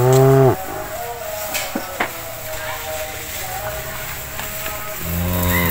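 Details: Cattle being fed in a cowshed; a loud low harmonic moo opens, ending abruptly after half a second, then quiet shed noise with a few knocks before another deep moo swells at the end.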